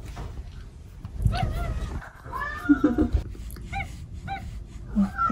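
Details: Indoor pet cats Omusubi and Ace chattering while seeking affection early in the day. A run of clear, bending meows, several close together near the end, with soft thumps and a murmuring human voice beneath.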